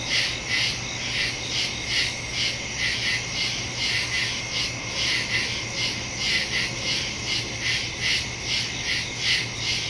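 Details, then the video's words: Nighttime woodland crickets, September 2, 2023, captured on a Samsung Galaxy S22 Ultra with a Shure MV88+ stereo mic: shrill, overlapping chirps swelling and fading in quick regular pulses, over a steady low background hum. "Crickets in the woods at night"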